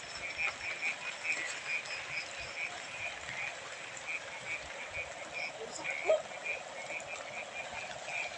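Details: Frogs from a field, reportedly very many of them, calling in short bright tonal croaks repeated about every half second over a steady hissing background chorus, with one louder lower note near the end.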